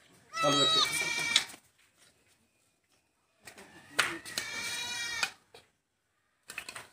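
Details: Two loud, quavering bleats from a newborn goat kid being rescued on a goat farm, each about a second long and roughly three seconds apart, then a brief faint sound at the end.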